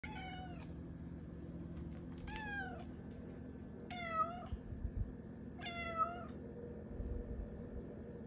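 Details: Domestic cat Malia meowing early in the morning to wake its owner, four clear falling harmonic meows about every one and a half seconds over a steady low hum.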